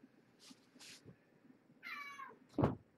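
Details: At evening dinnertime at Purrfect Pals, mother cat Marge, once a pregnant stray, is fed beside her five kittens born November 22nd, 2014. Soft rustles, then a clear, harmonic meow that slides downward, followed by a knock.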